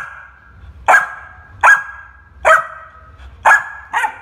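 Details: A Labrador Retriever puppy barks, giving five sharp, high barks in quick succession with uneven gaps.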